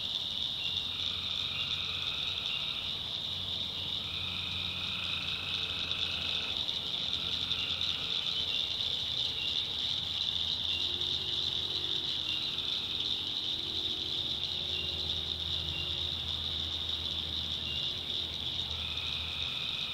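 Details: North Carolina backwoods tree frogs at night. Trilled calls of about a second come in bursts early on, then thin out, leaving the constant shrill insect chorus and a low hum.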